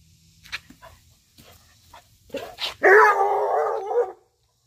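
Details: Treeing Walker Coonhound; bark; inviting to play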